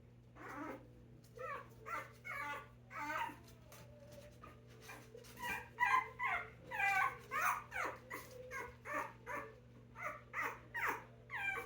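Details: Five-week-old Puggle puppies whimpering and squealing together, a busy run of short high whines, some rising and falling, repeated rapidly with brief pauses, over a steady low hum.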